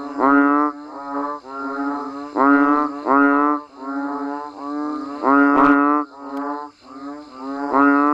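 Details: Banded bullfrogs and frogs call as rain falls outdoors: resonant, reedy groans stacked one after another, nearer voices swelling loud while fainter ones fill the gaps, with a brief sharp click midway.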